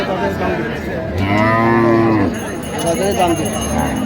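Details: Cow with calf at Raniganj cattle market (haat), Dinajpur, on 4 September 2025: one loud, drawn-out moo that swells and then fades over about a second, with market noise and faint music behind.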